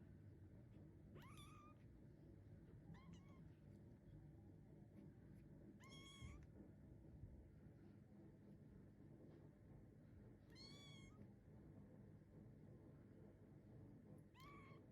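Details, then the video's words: Munchkin kitten crying out for its mother while she is away: four or five short, thin, rising meows spaced several seconds apart over a steady low background rumble. "ママを探す子猫の鳴き声がかわいい💓 Munchkin Kitten Meowing"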